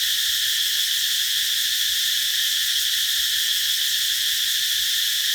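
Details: Cicadas singing under trees in summer fill the air with a steady, high, hissing drone that never lets up.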